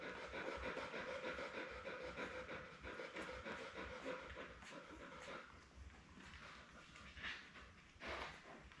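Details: Labrador Retriever mother Belle with her seven newborn puppies, born May 24, 2021, on a live indoor puppy camera on June 4: rapid, steady breathy panting, roughly three pants per second, fading toward the end with a few soft rustles.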